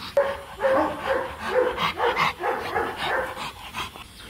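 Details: Rottweilers Marvin Gervi and Kacyno Gervi, a mating pair in Hanoi, Vietnam, with the male courting a reluctant female. High, tonal whines and yelps repeat in quick, uneven bursts about twice a second, with faint background chatter.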